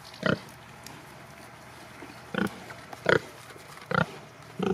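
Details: Farm pigs, Sattelschwein or Bentheimer Landschwein, produce four or five separate short, harsh grunts spaced roughly a second apart, with quiet low background noise between them.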